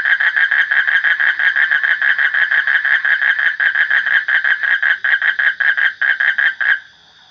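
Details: A frog calls in a rapid, steady series of harsh pulsed notes, about three per second, each a bright croak with layered overtones. The calling runs unbroken for nearly seven seconds, then stops abruptly into silence.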